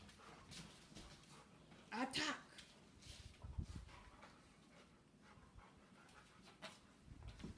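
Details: A 13-week-old English cream golden retriever puppy named Kea gives one short, high, rising bark amid soft panting, shuffling and clicks, with a person's voice nearby.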